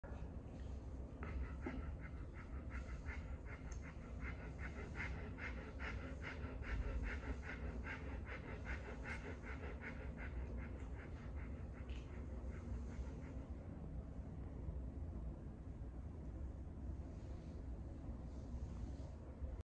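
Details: Simba, an American Pit Bull Terrier available for adoption, recorded 21 August 2024: steady rapid panting, quick breathy pulses repeating for most of the stretch, slowing and softening toward the end, with low background rumble.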